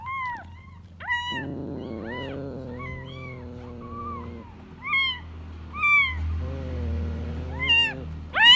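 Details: Kitten looking for its mother, giving high, arched meows that rise then fall, about nine in quick, irregular succession, over a lower, drawn-out, wavering harmonic cry in the middle and a faint low hum.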